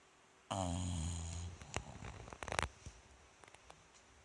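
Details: Rikyu the bulldog, sleeping indoors in a cute pose on 29 November 2016, gives one long, low, rattling snore lasting about a second, followed by a run of small clicks and rustling sounds.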